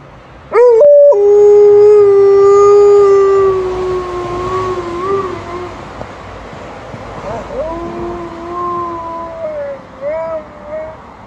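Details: Alaskan Malamute howling during a walk: a loud, long, steady tone that dips slightly, fades, then returns as a wavering, higher howl with brief rising notes near the end.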